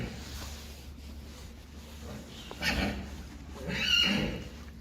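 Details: Friesian horses kept indoors, one of a herd of 21 horses and foals; two breathy whinny bursts, the second louder with a thin high squeal, over steady low barn hum while a person calls out horse names.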